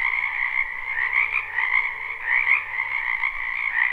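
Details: Frogs in a spring wetland near a home, live recording: a thick trilled croaking chorus, slightly rising and falling, with brighter individual calls popping out about once a second over the constant drone.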